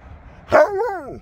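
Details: Siberian Husky named Sherpa giving a single loud bark-like yelp that slides into a drawn-out, wavering, howl-like 'talking' moan with rising then falling pitch, over faint background rumble.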